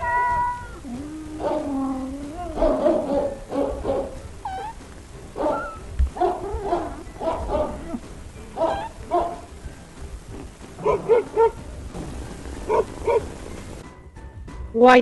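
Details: Kitten mewing: many short, high, thin mews in irregular quick succession, some rising and bending, with low background noise throughout.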